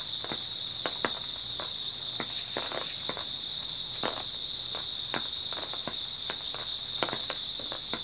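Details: Early autumn night chorus of grass insects: an unbroken high-pitched ringing trill beneath irregular crisp crackling clicks, as of someone walking through dry vegetation.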